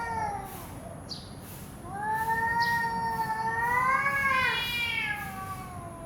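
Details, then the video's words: Cats fighting on a road: long drawn-out yowls with wavering pitch that climb and strain toward the end, over a steady background hiss. "cats fight on road natural sound"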